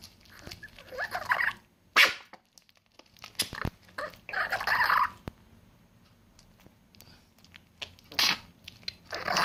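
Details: Chihuahua eating: bursts of crunchy, broadband chewing, each lasting about a second, near the start, in the middle and near the end, with quiet pauses and a few sharp clicks between them.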